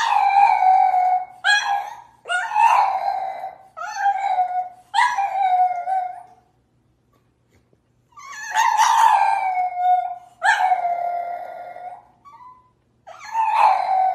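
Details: French Bulldog vocalizing in a run of drawn-out, harmonic yowls and howl-like whines, each roughly a second long, bending down in pitch. About eight calls come in quick bursts, with a silent gap midway.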